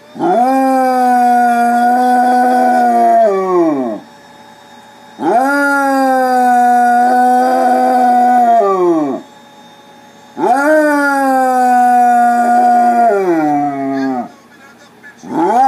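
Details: A Basset Hound howls along to Spanish soccer goal calls, giving long, mournful howls, each held about three seconds before sliding down at the end.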